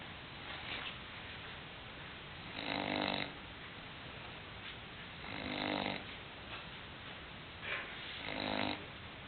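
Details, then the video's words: English Bulldog named Hulk snoring while asleep indoors: three loud rasping snores about three seconds apart, each a broad harmonic burst, with softer breaths between over a steady background hiss. "English bulldog snoring"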